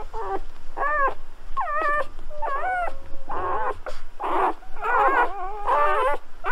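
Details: Newborn Golden Retriever puppies, recorded during their birth, give high, wavering squeals and whimpers in quick, overlapping bursts, sounds some liken to human babies and the owner to guinea pigs.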